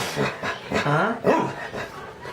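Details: Pet dog 'talking' indoors: a short whining, yowl-like vocalization with two swooping notes that rise and fall in pitch, uttered between a person's remarks.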